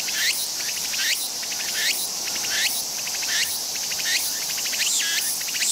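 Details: Walker's cicada (Meimuna opalifera) sings a loud, high, rhythmic phrase of rising swoops and buzzy pulses, repeated steadily; this one calls at eye level on a crowded tree rather than high in the branches.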